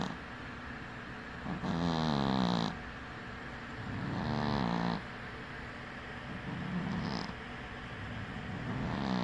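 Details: Cat sleeping with one eye open gives rasping snores, two strong ones followed by fainter breaths, each a low vibrating buzz lasting around a second, coming every two to three seconds.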